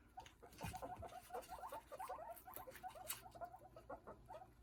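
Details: Guinea pig (Cavia porcellus), chatter calls: communicating with each other.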